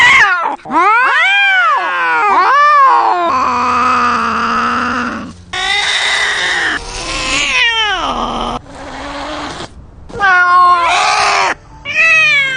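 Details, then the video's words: Domestic cats fighting at close range, filmed first-person: loud wavering yowls and screeches rising and falling in pitch, broken by short silences, with harsh noisy hisses between the drawn-out howls. "Cats Fighting Right In Front Of You"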